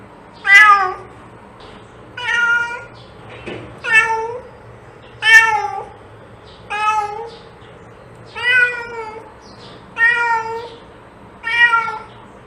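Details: Series of eight short harmonic cat meows spaced roughly every one and a half seconds, each bending downward in pitch, over a faint steady background hum.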